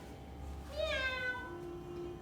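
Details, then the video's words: Kitten meowing, presented to children among farm and pet animal sounds: one drawn-out, wavering meow that rises then slides downward, with a soft lower tone lingering after it in a quiet room. "Este es un gatito. Miau, miau, miau."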